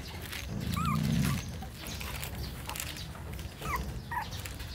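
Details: Dog whimpering in short, high squeaks that bend up and down, one pair near the first second and another near the end, over a constant low rumbling background with a brief louder low hum early on.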